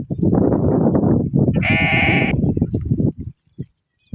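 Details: Goat on a farm in the Tharparkar village area of the Thar Desert, Sindh, Pakistan: one wavering, harmonic bleat of about a second rises over a steady low rumble of trampling hooves and movement, then the rumble breaks off.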